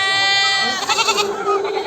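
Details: Goat at a livestock market where goats are being bought for a farm: a loud, harmonic, wavering bleat lasting under a second, followed by crowded market chatter and men bargaining.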